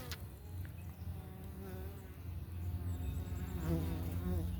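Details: Italian honey bees at a homestead hive entrance on a morning check, workers returning with pollen on their back legs; a dense low hum with wavering tones as individual bees fly close past, growing louder toward the end.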